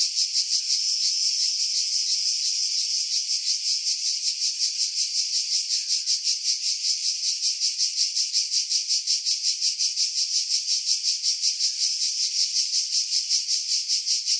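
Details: July 2018 cicada chorus from pines 50 m above the sea, Pefkos Bay, Skiros Island, Greece: unbroken high-pitched buzz throbbing in regular pulses near three per second throughout.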